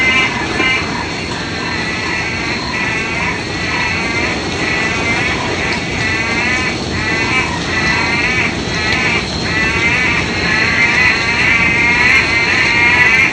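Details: Loud frogs in a steady chorus. Pulsed, harmonic croaks sit mid-high and repeat about twice a second. Each call has a slightly wavering, trilled texture. A constant hiss runs underneath.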